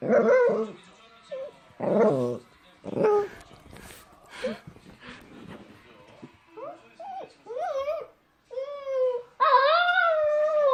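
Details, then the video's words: Puppy looking for its mother whimpers and whines. The short, choppy cries are mixed with other noises at first, then rise into clear, bending whines that become a sustained, wavering cry toward the end. "엄마찾는 강아지"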